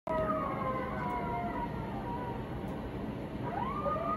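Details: An 11-month-old wolfdog puppy, beside a husky, reacts to coyotes howling on TV, howling in long, smooth tones that waver slightly and swing upward near the end.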